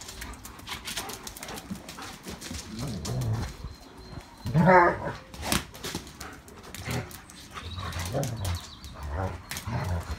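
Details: Rainy playtime for a German Shepherd pack: one sharp, strained snarling growl stands out midway, surrounded by low grumbles and scattered clattering noises.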